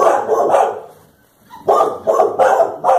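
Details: Clumber Spaniels Blanche and Daisy confront a cow, backing off as it advances and pressing forward when it turns: a cluster of rough barks, a brief quiet gap, then four sharp barks roughly half a second apart.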